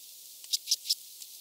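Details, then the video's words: Three soft, evenly spaced high clicks from a red band-winged grasshopper, filmed in Mörnsheim, Germany, on 14 July 2023. "Oedipoda germanica -- Rotflügelige Ödlandschrecke -- Red Band-winged Grasshopper"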